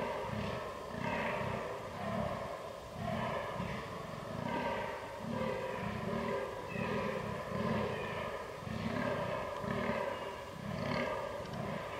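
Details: Fallow deer during the rut on 22 October 2022, filmed with a Canon R6 camera: deep, low, belching groans repeated steadily about every 0.7 seconds, roughly seventeen in a row, over a faint background hum.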